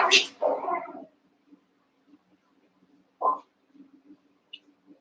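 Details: Cavalier King Charles Spaniel puppies, one month old, playing and wrestling together in a pen. A loud high yelp opens, followed by a rough growling bark. After a pause comes a second sharp yip, then soft pattering and scuffles.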